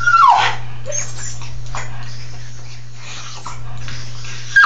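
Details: Dog sitting in a tub lets out a thin whine that falls in pitch at the start, then a softer whimper near the end, with a constant low droning hum and light background rustle.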